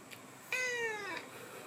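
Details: Thin, high meow from a 12-year-old black and white house cat, one drawn-out call lasting under a second that starts bright and glides steadily down in pitch, in a quiet room.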